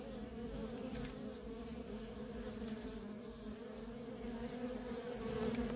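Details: Constant droning of worker honey bees in nonstop traffic at a feral colony, a smooth two-toned hum that swells slightly toward the end with no other clear sounds.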